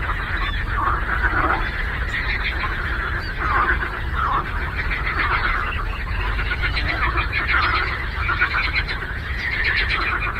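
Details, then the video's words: Lake frogs in full chorus, countless croaks merging into a steady rasping drone with brief louder swells, set against a constant low-frequency hum. "Frog Croaking"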